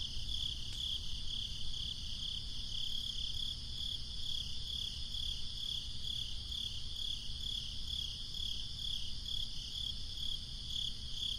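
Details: Crickets on a breezy summer night, a steady, high, finely pulsed chirping trill running without pause throughout, over a low rumble of wind.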